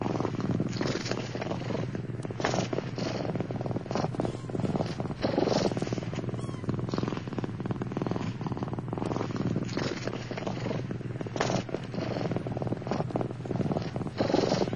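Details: Turkish Van kittens, seven born on 4 November 2009, crowded together in their nest; a steady low rumbling purr runs unbroken through the whole stretch, with soft rustling and shuffling clicks scattered over it.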